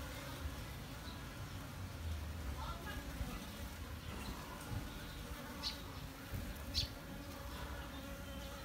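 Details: Honey bees droning steadily on a D610 full-frame recording, a level low buzz running throughout, with a few sharp high clicks near six and seven seconds and faint background murmur.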